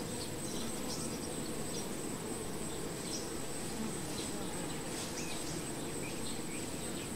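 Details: Honey bees at the hive: a dense, steady droning hum runs unbroken from start to finish, with a thin constant high whine above it and no clear pauses or other voices.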